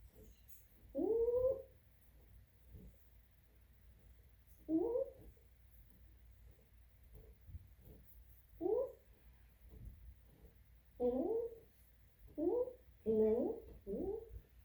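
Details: Dog making funny noises while scratching its own back against a sofa: short, moaning, whiny bursts, each rising and falling, coming in irregular groups in a quiet room.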